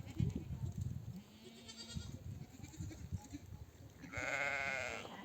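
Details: Nomadic flock back from grazing, a mother sheep calling her lambs to suckle: after low rumbling and shuffling, one loud, shaky, drawn-out bleat rings out near the end.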